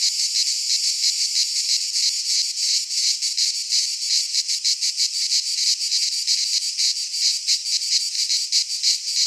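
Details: Cicadas of the Greek fauna singing in a pine forest at midsummer: an intense high rasping buzz, rhythmically pulsed at nearly three beats a second, steady and continuous.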